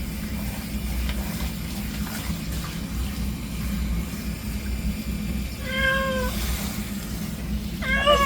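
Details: Former stray cat with an injured spine during a bath, giving two short, clear meows a couple of seconds apart after a stretch of low rumbling background noise.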